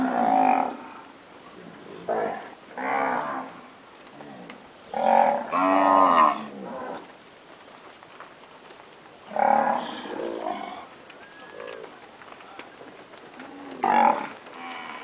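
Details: Nelore cows that have calved, standard registered animals, giving separate loud moos in bursts about every two to four seconds, some short and some drawn out with wavering harmonics, quieter lows between.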